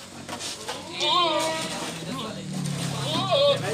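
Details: Teddy goat on a goat farm giving two wavering, nasal bleats that rise and fall, one near the one-second mark and another near three and a half seconds, while people talk throughout.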